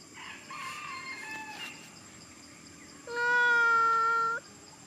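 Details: Monkey Big Bertha crying: faint wavering whines give way to a loud, steady, strongly harmonic wail held about one and a half seconds before stopping abruptly.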